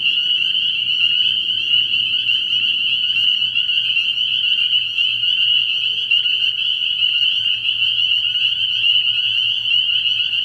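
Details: Many spring peepers at a frog pond at night in early spring, their high piping calls overlapping into a constant shrill wall of sound, with faint low murmuring beneath in the first seconds.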